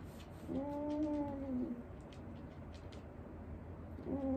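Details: Wanta, an elderly dog receiving home care, who often vocalises while awake, gives a drawn-out, steady, tonal moan lasting about a second. After a pause a second moan begins at the end. Faint room noise lies underneath.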